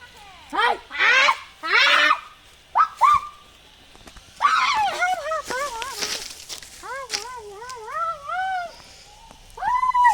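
A jackal gives harsh yelps, then a run of wavering, quavering howled notes that rise and fall.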